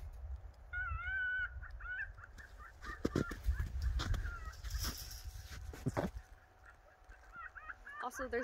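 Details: Pet fox named Finnegan with his stuffed toy, giving bright, harmonic whining calls in a quick broken series, then a rapid run of short chattering notes near the end, with handling noise and thumps between.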